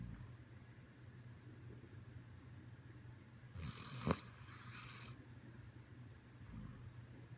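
A Siberian Husky snores with a low, steady rumble, broken briefly by a louder, raspier breath.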